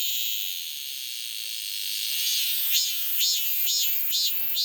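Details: Cicada buzzing continuously in a high, dense hiss, the last two seconds broken into regular pulsing surges about twice per second.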